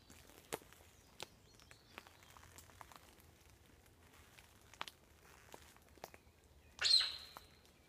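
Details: Alarm call of a sika hind, New Forest: after several seconds of soft clicks and rustling, a single loud, explosive high-pitched squeal bursts out near the end and fades quickly.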